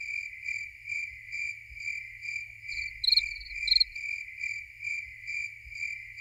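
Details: Continuous high cricket trill pulsing in regular swells, joined briefly by two louder, higher chirps, over faint low background rumble.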